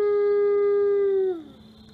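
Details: A steady, pure howl from Atka, the male Ambassador wolf at the Wolf Conservation Center in South Salem, New York, on an autumn afternoon. The even held note ends with a quick downward slide, then fades into quiet.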